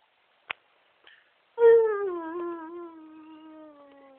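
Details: Alaskan Malamute and Siberian Husky pair, Chewy and Midas, kept as pets: after two short clicks, a loud drawn-out howl starts high and slides gradually lower, holding a steady harmonic tone that fades over about two and a half seconds.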